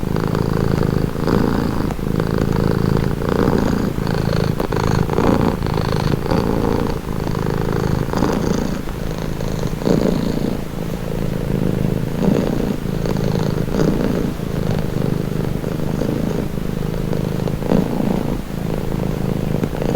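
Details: A cat purrs continuously for twenty seconds, a soothing low vibrating drone rising and falling with its breathing in cycles of about one and a half seconds, with no other sounds.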